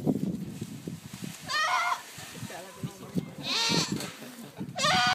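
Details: Screaming goats in Tallinn Zoo, Estonia: a short shrill bleat, then a louder drawn-out wavering scream, and a third sharp cry at the end, over low rumbling background noise.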